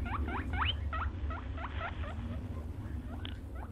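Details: Rabbit or hare squeaking: a quick series of rising, hooked chirps that gradually fade and thin out toward the end, with a low rumbling background throughout.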